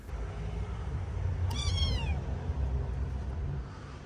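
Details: Stray kitten holding its injured left front paw in the air, meowing in pain when the paw is touched: one short, high, falling meow about a second long, over steady low background rumble.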